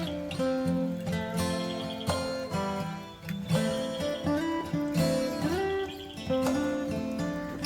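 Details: Strummed acoustic guitar music fills the recording with steady chords and no animal sound.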